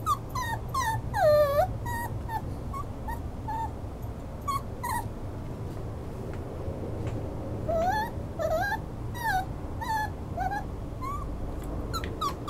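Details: Repeated thin, high whimpers from a Schnauzer, a brief louder wavering cry near the start, then many soft curling whines and yips scattered across a constant low hum.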